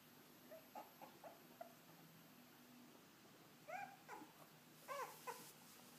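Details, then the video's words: French Bulldog puppies indoors: soft, short whimpers and squeaks, some rising then falling in pitch, scattered irregularly with a louder cluster of whiny yelps near the end over a quiet room hum. "French bulldog puppies"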